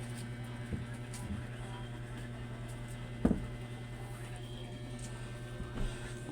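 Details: Low electrical hum with a few soft knocks and one sharp thud, no animal voices heard.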